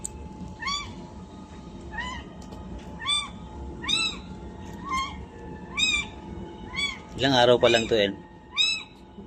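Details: Two-day-old kitten giving a run of evenly spaced high, arched mews roughly once a second, broken near the end by a louder, rough, wavering burst before the mews resume.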